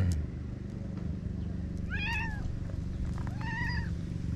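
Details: Stray cats in a park in Japan, a pink-named cat with a trio of young rascals relaxing at a peaceful dusk; two short meows, each rising then falling, about one and a half seconds apart over steady low traffic rumble.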